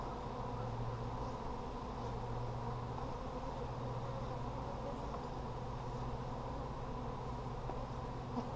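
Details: Honey bees in an Apimaye hive during a July 23, 2020 inspection for brood; a steady, low droning hum fills the whole stretch, with a faint higher buzzing layered over it and no voices.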